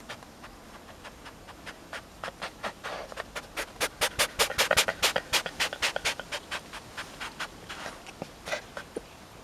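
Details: A rescued tayra, not a pet, makes a quick train of short, snorting clicks, roughly 105 a minute. They rise to the loudest, tightest run in the middle, then thin out toward the end.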